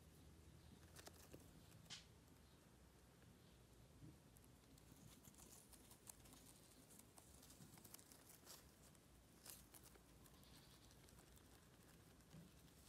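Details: Little rabbits eating dry sorrel indoors, a steady soft crunching and crackling with scattered sharper crisp snaps and rustles throughout.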